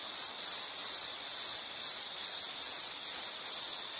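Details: Insect calling steadily in a soothing nature scene: a piercing high-pitched continuous trill with fine rapid pulses, briefly dipping in loudness twice.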